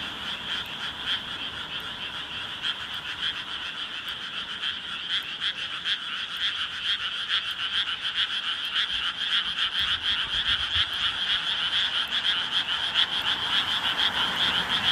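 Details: A dense frog chorus after full dark at Ishigama, Sawara Ward, Fukuoka, at a firefly-viewing spot, many voices croaking in a steady, rapid, overlapping din.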